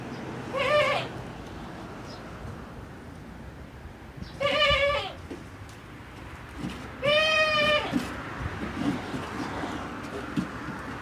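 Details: Male goat with a voice that does not match his build, giving three separate high, wavering, nasal bleats about three seconds apart, the last one longest and most quavering, over a steady low background rumble.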